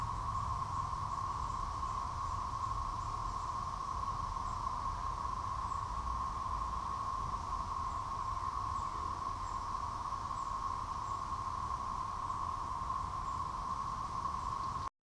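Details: A massed chorus of Decim periodical cicadas (Magicicada tredecim, Brood XXIII) makes a steady, droning hum in Wilbur D. Mills Park, Bryant, Arkansas, on June 1, 2015.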